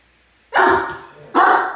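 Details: A 10-month-old male Great Dane puppy gives two deep, loud barks about a second apart at one of the household cats, which loses patience with him.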